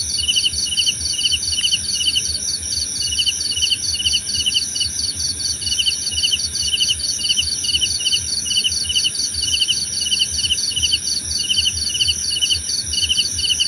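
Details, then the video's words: Cricket chorus for tension relief, evenly spaced trilled chirps at mid-high pitch, denser pulsing higher up, and a constant ringing insect drone throughout. "Suara Jangkrik Membahana!"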